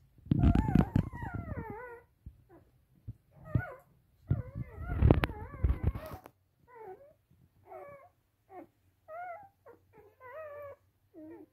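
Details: Rough Collie puppies of the "S" litter at a kennel in Vienna, Austria: wobbly, warbling whines and short squeaks, with loud rustling and bumping in the first six seconds, then separate whimpers every second or so.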